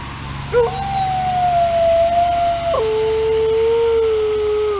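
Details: An Alaskan Malamute howls on a snowy December morning walk in response to a passing ambulance: one long, steady, tonal howl that holds level, then steps down to a lower sustained pitch, over a faint low hum.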